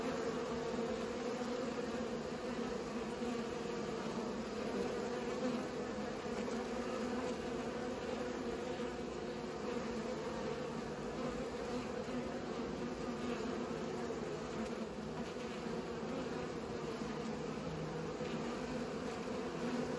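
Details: Constant droning of pollinating bees, a dense buzzing hum with a low base tone and a higher layer, steady and uninterrupted throughout.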